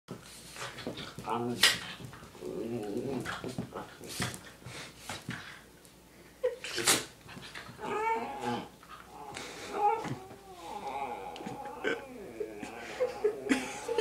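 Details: Two Italian Greyhounds whine and whimper in high, wavering tones while a person talks nearby indoors.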